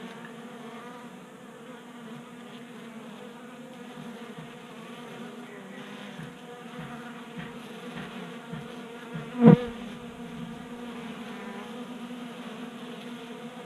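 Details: Honey bees feeding at a 3D printed table-top feeder in a garage in Colorado on a warm January day, staying active in late heat. A steady low buzzing hum of wingbeats with layered harmonics, and a sharp knock near the tenth second.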